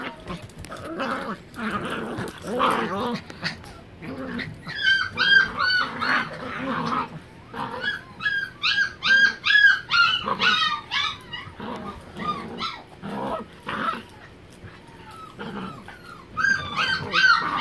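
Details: Miniature Pinschers, three of them, play-wrestling indoors on a living room floor: high, thin whining yips and squeals in rapid, uneven clusters, interspersed with lower growling rumbles and brief pauses.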